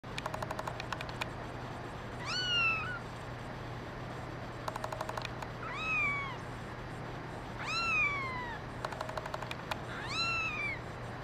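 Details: Kittens, among them a brown mackerel tabby and white female, give four clear, thin meows, each sliding downward, about every two to three seconds. Bursts of rapid clicking and a steady low hum run underneath.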